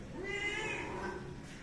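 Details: Cat meowing once, a drawn-out harmonic meow with a slight rise then fall, over low background murmur.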